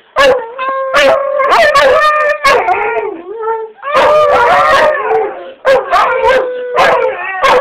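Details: A Siberian husky that cannot properly howl or bark gives a wavering, mid-pitched howl broken by short yips and yelps, sounding sad.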